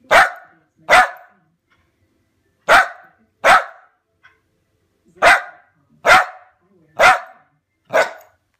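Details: A Lakeland Terrier gives loud, sharp barks, mostly in quick pairs with pauses of about a second between them, eight barks in under nine seconds on a quiet background.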